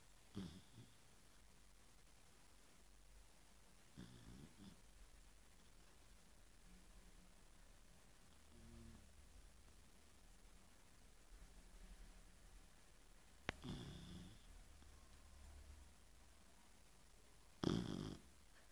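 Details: A female Chow Chow sleeps after an afternoon of play and snores very loudly, each breath a deep, rasping rumble a few seconds apart; the owner says she is struggling to breathe through her nose. Sharper knocks break a quiet indoor background.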